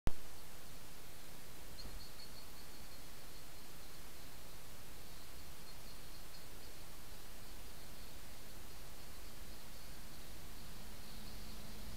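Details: Only a steady background hiss and low rumble are heard, with a faint constant high-pitched hum and no clear animal calls.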